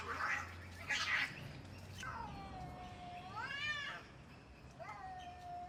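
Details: Fighting cats open with two rough hissing spits, then give a long descending yowl that levels off, a rising-and-falling wail, and a final short bending howl; faint background hum throughout.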